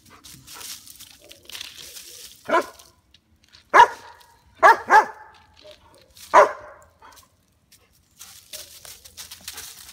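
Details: BeeBee, a female White German Shepherd (Swiss Shepherd) aged two years nine months, on squirrel duty guarding the backyard; five sharp, loud barks between about 2.5 and 6.5 seconds, two in quick succession mid-burst, over faint rustling.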